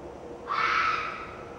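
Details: A single hoarse, rasping scream from a red fox vixen, starting abruptly and holding steady for about half a second before fading, over low background hiss.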